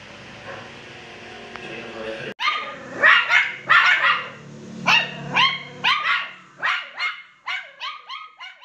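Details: Poodle cross puppies bark after a quiet start with faint voices, then sharp high barks and yips about every half second, growing shorter and thinner toward the end.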